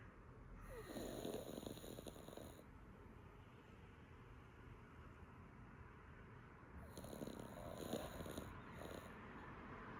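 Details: A senior female Yorkshire Terrier, with many teeth missing, snores loudly in long, raspy breaths with a thin whistling edge while asleep on a cool day with her head raised; the snoring woke her owner.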